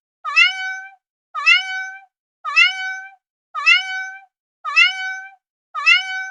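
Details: Six matching cat meows, each with a quick upward scoop into a sustained bright tone, spaced a little over a second apart.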